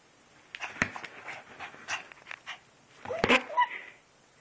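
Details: Excited puppy greeting its returning owner; quick breathy panting in short irregular bursts, a louder burst of huffs near the end, with a person speaking around it.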